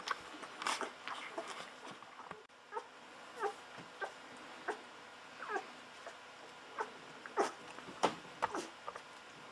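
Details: Hungry Golden Retriever puppies, fourteen days old, drink milk from a bottle, giving short high squeaks and whimpers at an uneven pace, about one and a half a second, with wet sucking clicks and soft handling noise.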